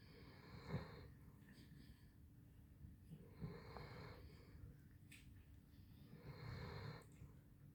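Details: Basset Hound Handsome Jack snores in his sleep in a small room. Three slow, throaty, wheezing snores come roughly every three seconds, low rumbling with an airy edge.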